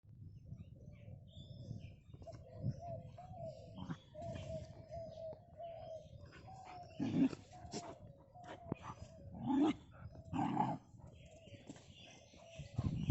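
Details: Dogs fighting on a village road: drawn-out, wavering whine-like tones run through the clip, broken by harsh, loud snarling bursts near seven, nine and a half and ten and a half seconds.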